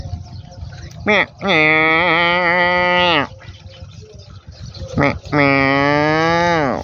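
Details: Water buffalo on a farm in Cambodia's countryside calling outdoors; two long, loud, harmonic-rich moans with a slight falling end, each preceded by a short burst, with a man speaking Khmer in between.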